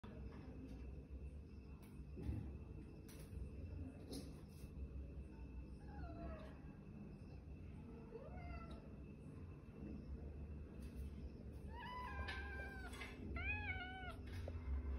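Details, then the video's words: Persian cat meowing, wanting a dragonfly caught for it: scattered soft, rising-falling meows that grow into clearer, higher, repeated arched mews toward the end, over a steady low hum. "Catch the dragonfly for me meow"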